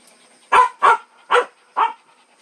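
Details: Puppy letting out four evenly spaced, forceful barks, each short and rough-edged, against a quiet background.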